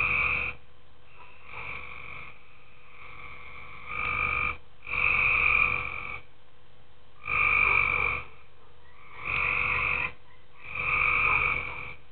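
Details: Nighttime chorus of tree frogs in a pool, giving a regular run of droning, nasal croaks of about a second each, spaced one to two seconds apart, several callers alternating at different loudness.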